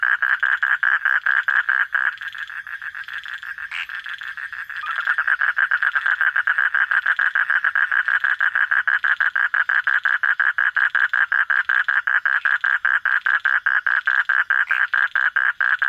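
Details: Frog at night giving a long, very fast train of croaking pulses, briefly softer after a few seconds, then loud and continuous again, buzzing rhythm with nothing else prominent.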